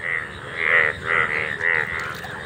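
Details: Golden frogs calling in a field, where the speaker says they appear only once a year; loud nasal, droning swells with stacked harmonics, three long pulses in quick succession amid an overlapping chorus.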